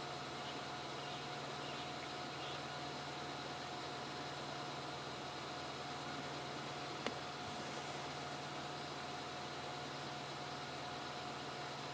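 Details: Steady broadband hiss and low mechanical hum throughout, with one brief click and no animal voices. Nothing else stands out beyond this constant background noise.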